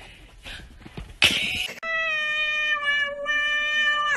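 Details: Domestic cat from a funny pets compilation giving a long, steady, harmonic meow lasting over two seconds, preceded by a sharp noisy burst and faint background sounds.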